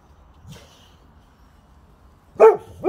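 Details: Boxers Rex and Sammie barking at nothing: a long quiet stretch with faint rustling, then two sharp barks in quick succession near the end.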